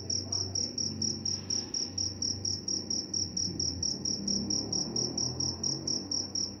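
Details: Cricket chirping in a steady high-pitched run of short pulses, about five chirps per second with little variation, over a low background rumble.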